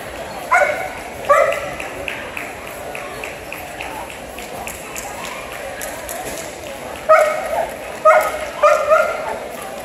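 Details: Dog at a dog show, giving short sharp barks, two near the start, then a group of three to four barks late on, over steady crowd chatter and background noise.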